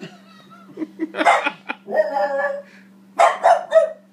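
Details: A female French Bulldog–Boston Terrier mix, barking at her own image on TV, gives short, harsh, yappy barks in quick uneven bursts over a low steady hum.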